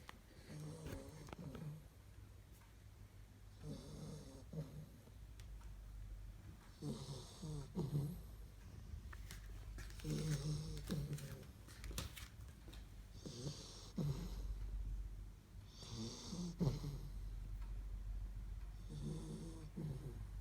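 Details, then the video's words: Sleeping Labrador Retriever puppies from the Kloster Marienthal breeding kennel snore like grown dogs: low, rasping breaths in regular bursts about every three seconds, each with a soft hissing exhale, in a quiet room. "Labrador Zucht vom Kloster Marienthal - Schnarchen wie die Großen"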